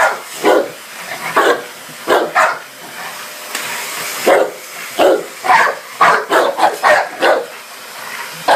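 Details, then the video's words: Dogue de Bordeaux barking at a vacuum cleaner, with repeated harsh barks that come faster toward the end, some in quick pairs, above the steady hiss of the hoover. "Dogue de Bordeaux's V Hoover"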